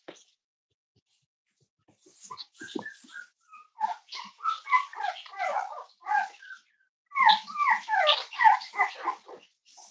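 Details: Cavalier King Charles Spaniel puppies from Myra's litter, five weeks old, indoors at Red Barn Cavaliers during weight checks on a chilly Thursday morning; high whining yelps and squeals come in rapid, uneven bursts, with a quiet pause at the start.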